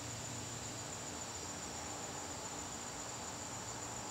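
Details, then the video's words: Garden crickets calling during a September evening, a constant shrill pulsing band of sound with a low mechanical hum in the background. "garden crickets"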